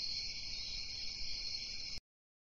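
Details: Crickets at night: a steady, shrill, unbroken trill holding high for two seconds over a low background rumble, then stopping abruptly into silence.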